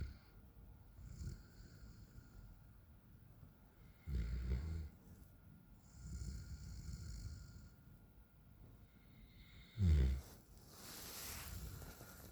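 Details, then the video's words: Raiden, a 9-month-old Alaskan Malamute, asleep on a back patio, snoring in deep, rumbling low-pitched breaths, the loudest around four and ten seconds, with a short rustle near the end. "Raiden snores like his Dad"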